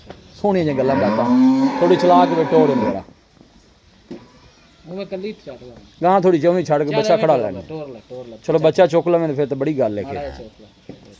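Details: Red Friesian cow, a Cholistani, Australian Friesian and Sahiwal cross kept on a farm in Pakistan, recorded 04/11/2024; one long, drawn-out moo of about two and a half seconds, rising then holding steady, followed by men talking.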